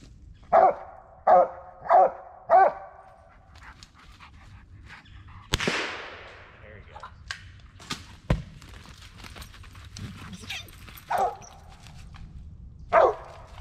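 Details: Mountain Cur squirrel dog hunting at last light among black walnuts and hickories: four quick barks in a row, then rustling, snapping brush and a loud crash, followed by two more single barks.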